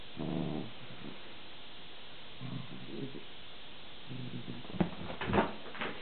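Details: A miniature long-haired dachshund gives low, drawn-out whining grumbles in three separate bursts, indignant that the other dachshund, a long-haired rabbit dachshund puppy, won't give up a treat.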